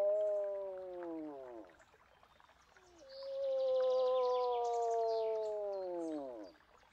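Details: Two long moose moans, each a steady harmonic wail curving downward at the end, separated by a short quiet gap with soft bird calls.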